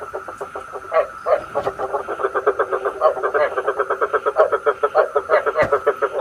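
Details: Night-trapping lure of calling frogs, meant for a bagua trap: a continuous fast rattle of short croaking pulses, a few louder notes standing out, with a faint constant whine beneath.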